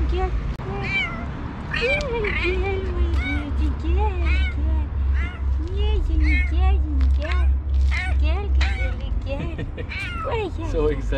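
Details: Female domestic cat, described as the fastest-meowing cat, meowing in the morning while hungry and waiting for breakfast: quick, high, arching mews repeated almost nonstop, about three per second, with a woman talking to her over them.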